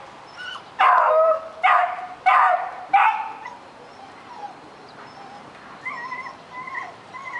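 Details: Puppy Daisy barks at a rabbit she is eager to reach: four loud sharp barks in the first three seconds, then softer high thin whimpers repeating toward the end.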